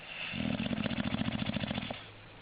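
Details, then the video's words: English bulldog giving one drawn-out, vibrating snore of about one and a half seconds, a rapid pulsing rattle that fades into quiet breathing. "Funny Snoring English Bulldog"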